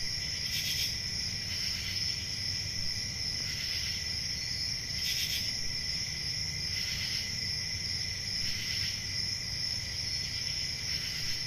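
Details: Many crickets trill through a calm country summer night, a constant high shimmering drone punctuated by louder pulsed chirp bursts roughly every one and a half seconds, with a gentle low rumble underneath.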